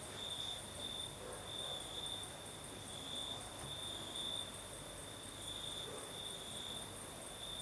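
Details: Night chorus of crickets in southern Crimea under a night breeze: a continuous shrill trill whose loudness swells and fades in uneven pulses, over a hiss of higher insects and a faint low background rumble.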